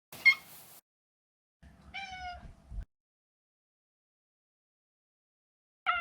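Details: Neutered male Maine Coon Maro calling indoors: a brief high chirp-like mew, then a clear, slightly falling harmonic meow, with a further meow starting at the very end after a quiet pause.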